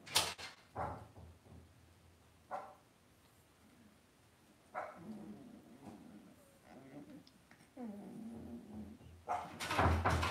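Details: Cavalier King Charles Spaniel puppies raised indoors in a home puppy pen whine in a wavering series of soft, nasal cries, broken by sharp knocks and clatter at the start and end.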